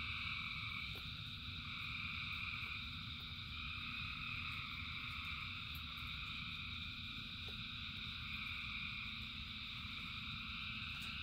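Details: Rainy-night frog chorus: countless callers blend into constant high-pitched droning bands, steady in loudness, over a low wash of rain with scattered sharp drip sounds.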